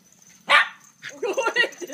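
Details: A single sharp, loud bark from one of two dogs, Iggy and Kenta, an Italian greyhound and a toy poodle, at a dog café, followed by softer murmuring voices and faint chatter.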